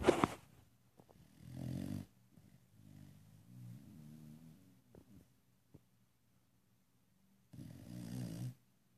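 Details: Pet dog snoring indoors; low, rumbling, rattly breaths repeat in long drawn-out pulses several seconds apart, with quiet pauses and a few soft clicks between them.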